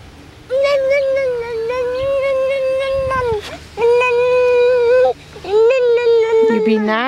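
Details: Six-week-old Lakeland Terrier puppies, born May 29, 2018, from Octavia and Oscar, give long, steady, tonal whines in three drawn-out bursts, the last rising sharply at its end, while a woman speaks softly nearby.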